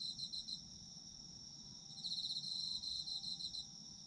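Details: Autumn insects in Japan for sleep ASMR: a steady high ringing trill throughout, joined midway by a louder rapidly pulsed chirping insect that stops again shortly before the end.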